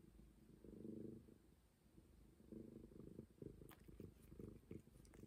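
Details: Momi, a stray cat, purring close up: low rumbling pulses in swelling bursts, strongest near the first second and again from two and a half seconds, with soft clicks and light handling noises toward the end.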